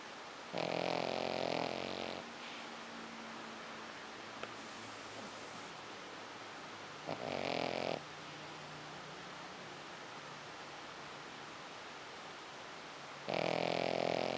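A Pekingese snores in loud, rasping bursts separated by quiet pauses.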